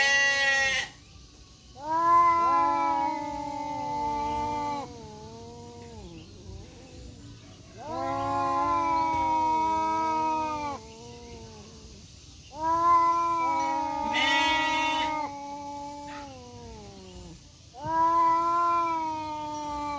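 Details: Two male village cats, a black one and a striped one, fighting in a forest in Indonesia: long drawn-out wailing growls with rich harmonics, rising and falling, in bouts of about three seconds separated by short pauses.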